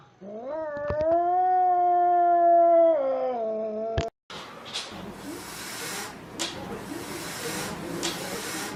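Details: Angry domestic cat letting out a steady, rising then held yowl of about three seconds that drops at the end, followed by a sharp click and a stretch of hissing noise.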